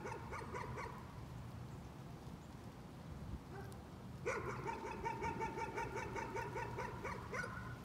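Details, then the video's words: Dog barking as a nuisance: a brief series of rapid barks, a pause, then a long unbroken string of fast, evenly repeated sharp barks, roughly three a second, over a low droning background. "Nuisance barking again."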